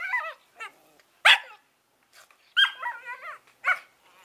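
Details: Two eleven-week-old Collie puppies, Norris and Amica, trading sharp yips and warbling, whine-like calls, one loud bark-like burst near the middle, irregular and talkative.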